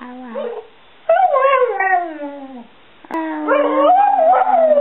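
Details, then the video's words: A 7-year-old Border Collie mix called Stewart Little, or Bubba, vocalizes to his family in two drawn-out howls, the first sliding downward, the second wavering and rising, rich in overtones, after a faint short whine. "Stewart Little Talking Dog"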